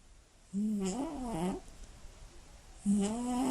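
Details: Scottish Fold cat snoring very loudly while asleep at night: two droning, buzzy, harmonic snores of about one second each, wavering slightly in pitch, separated by a quieter pause.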